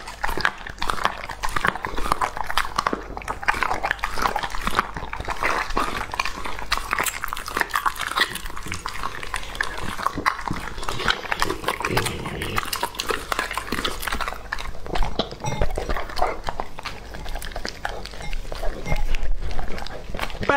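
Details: Raw-food meal for Lucky, a two-and-a-half-year-old male English Labrador Retriever: a long stretch of continuous chewing, licking and crunching in a small indoor room, with occasional heavier bites.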